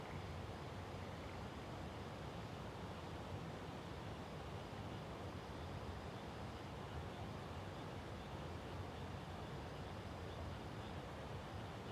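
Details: Steady broadband rushing noise like wind or distant surf, with no animal calls.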